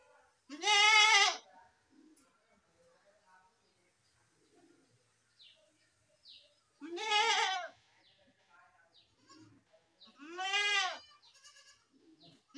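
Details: Goat bleating three times, each a loud, wavering, nasal cry lasting under a second, spaced several seconds apart with quiet gaps and faint background rustles between them.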